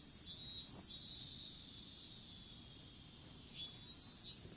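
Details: High, shrill insect buzzing from a strawberry field, captured on a smartphone lying on the ground during seedling planting; brief pulses open into a drawn-out continuous trill, then more pulses follow, with a constant faint high tone beneath.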